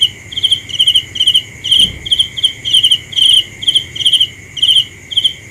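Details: Night-time cricket song, a run of shrill pulsed chirps roughly twice per second, each a short trilled burst, with a steady high tone underneath and a brief low thump midway.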